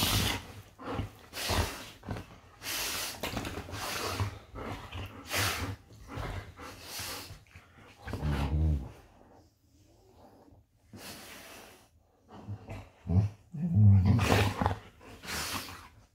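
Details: Golden retrievers play fighting in bed indoors, Funshu among them; low rumbling growls and heavy snorting breaths come in repeated bursts, with rustling bedding and a few soft, broadband huffs in a small room.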